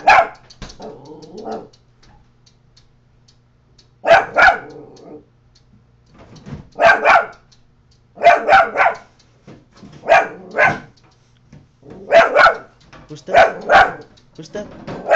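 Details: Scooter the Coton de Tulear, a household pet, barks at the neighbour in a long series of loud double barks spaced about one to two seconds apart, with a soft growl near the start.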